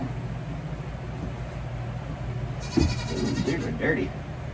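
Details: Young domestic goat kids on a farm during hoof trimming; a wavering, nasal bleat rich in harmonics rises out of the background for about a second and a half, over a woman's steady talking and low hum.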